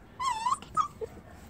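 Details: Whining Jindo dog from a household pair: a high nasal whine lasting about half a second, wavering and lifting at its end, then a short sharp yelp-like note and a faint soft blip.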